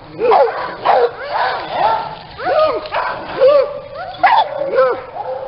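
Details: Small dogs at a breeding kennel in Aquitaine, France, yapping and yipping in overlapping bursts of short, high, bouncy barks, with several dogs calling at once and voices faintly underneath.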